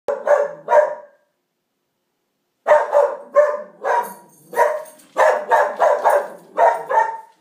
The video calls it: Cute Pharoah Hound Dog Barking